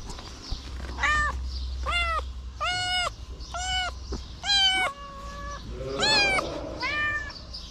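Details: Homeless feral kitten standing on two legs licking fingers, meowing repeatedly: about eight short bright harmonic meows in quick succession, some arched and falling, with a low background hum.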